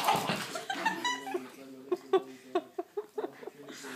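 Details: Luci, a Cairn Terrier indoors, vocalising at a Scottish Terrier draught stopper she hates: a series of short, tonal yappy barks roughly every quarter second, after human voices and laughter at the start.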